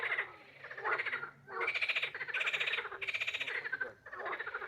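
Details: Frog croaking in harsh, rattling pulse trains, several bursts in quick succession with short silent breaks.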